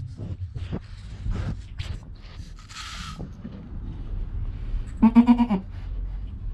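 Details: Newborn goat kid named Joel, recorded on a GoPro within an hour of his birth, with his calm mother Penny nearby; soft rustling and thumps lead to one short, wavering, quavering bleat near the end.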